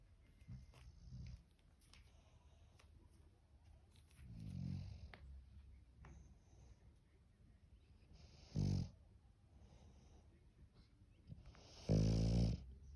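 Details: Sleeping English bulldog with quiet, irregular breathing broken by a few short snorting snores, two sharper louder bursts standing out late on, in a small quiet room.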